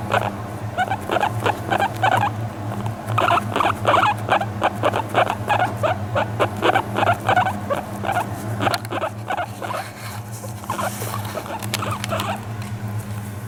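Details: Guinea pig enjoying a brush while resting on a lap, calm and affectionate, one month after arriving home: dense runs of short burbling notes roughly three per second, thinning toward the end, steady background hum.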